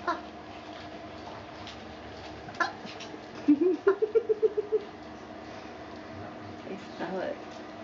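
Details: Puppies four weeks and four days old, with their mother Valentine and brother Hoyt, filmed indoors on March 18, 2013, give a quick run of about eight short squeaky yelps, the first ones rising, over roughly a second in a quiet room.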